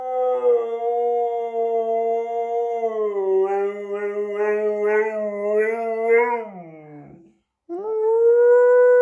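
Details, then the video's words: Siberian Husky howling: a long, steady, tonal howl with rich harmonics that wavers slightly in the middle, drops away into a short break, then resumes at the same pitch. "Husky aullando"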